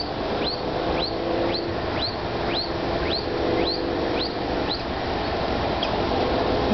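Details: A scared baby squirrel, stuck up high and unable to get down, gives thin, high, bird-like rising chirps about twice a second, calling for its mother.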